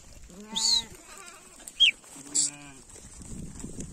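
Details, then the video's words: Two short bleats from sheep heading home, separated by a brief high whistle and a sharp click, with quiet rustling at the end. "Sheep is going home"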